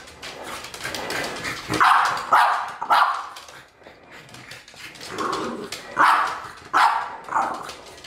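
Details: Female French Bulldog barking furiously at a French Bulldog figurine: hoarse, throaty barks in uneven bursts of two or three, roughly a hundred a minute, with brief pauses and faint background talk.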